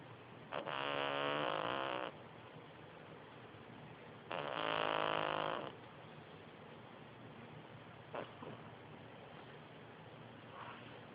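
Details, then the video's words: Sleeping cat snoring: two loud, buzzy, droning snores of about a second and a half each, roughly three seconds apart, followed by faint, brief snuffles. "Snoring cat"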